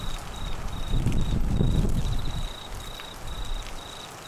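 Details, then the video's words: Crickets during the Australian monsoon in Queensland: short high trill bursts repeating steadily, partly masked by a deep rumbling surge of rain and wind in the middle. "Crickets and rain Sounds"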